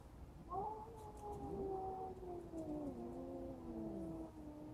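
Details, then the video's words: A cat standing up to a bully cat gives a long low drawn-out yowl, wavering and slowly sliding down in pitch for about four seconds, with faint background hiss. "Rousseau Stands up To Bully-Cat"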